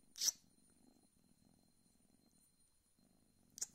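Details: Rescued kitten Mau in India, waking in winter under a blanket, yawning and stretching. Soft, steady low purring runs for about three seconds, with brief rustles at the start and end in a quiet small room.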